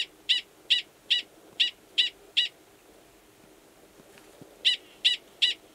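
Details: Male Gunnison's prairie dog at Valles Caldera National Preserve, New Mexico, March, giving a long mating call before copulating underground; six quick shrill chirps, a two-second gap with faint ticks, then three more chirps.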